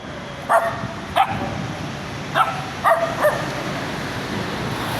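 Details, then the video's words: Small dog barking: five short, sharp, high yips in two loose pairs and a single, each a brief bright burst, over a steady low background hum. "The sound of a small dog barking"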